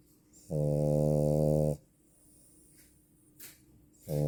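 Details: Female French Bulldog asleep and snoring, one drawn-out, deep buzzing snore of over a second, then quiet, with the next snore starting as the recording ends.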